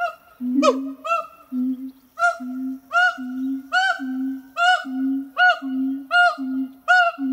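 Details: Captive siamang pair at a zoo in France on a hot August morning, singing: a low booming note followed by a sharp upward bark, repeated steadily a bit more than once a second, no other sounds.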